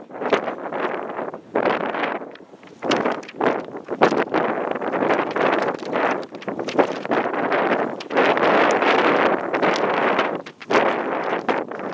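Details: Gusting wind buffets the microphone in uneven, roaring bursts for the whole stretch, with no animal sound.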